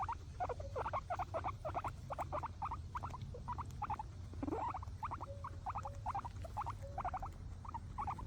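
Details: Guinea pigs eating grass, with quick crisp munching clicks in rapid clusters and a short rising sound partway through, against a quiet low background hum.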